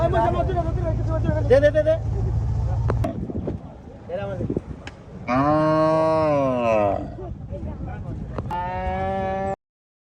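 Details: Cattle at a cattle market, giving drawn-out, low harmonic moos that swell and fall, two clear calls in the second half, over a steady engine-like rumble, people talking and market noise.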